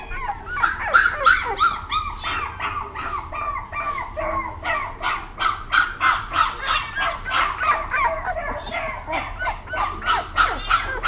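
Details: Dog barking rapidly and repeatedly, about three short barks per second, sustained throughout with a steady rhythm, a little speech faintly in the background.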